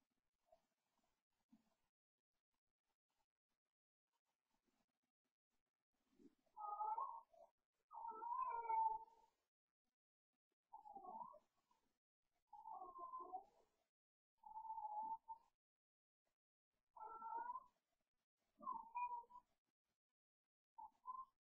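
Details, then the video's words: Cooper, a pet cat, yowling at night around bedtime during his late-night play: drawn-out wavering mid-pitched yowls repeated every one to two seconds after a quiet start, otherwise silent room. "Cat yowling and playing"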